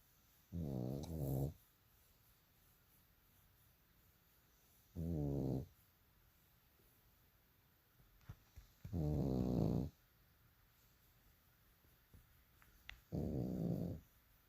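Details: Bulldog asleep and snoring loudly, four deep rasping snores spaced about four seconds apart, each under a second long, with near silence between them.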